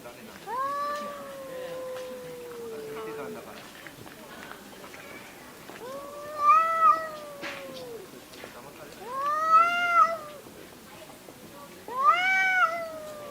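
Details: Pet cats quarrelling at home: four long, drawn-out yowling meows, each swelling and falling over one to three seconds, with quieter noise between calls.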